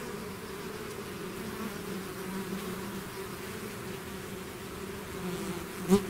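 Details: Swarm of bees out of the hive giving a low, even buzzing hum with clear tones around 200 and 400, then a single bee passing close near the end, a sudden louder sharp buzz.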